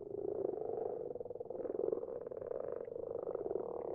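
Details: Night recording of several common frogs in a garden pond, softer and more distant: a continuous low purr of rapid pulses with overlapping croaks rising and falling slightly.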